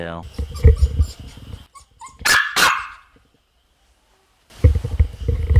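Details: A three-month-old female Samoyed puppy at home late at night, demanding play: two sharp, loud barks in quick succession between stretches of a woman's talking, then silence before her voice resumes.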